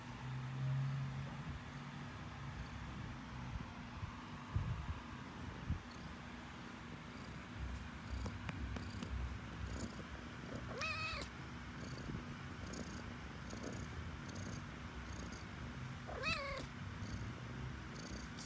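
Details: A house cat's low, rumbling purr runs throughout, broken by two short rising-and-falling meows near the middle and end, with faint handling noise.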